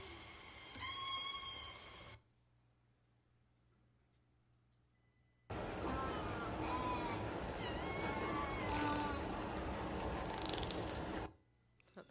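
Southern Resident killer whales give harmonic, wavering calls, with clicks and heavy boat and surface noise.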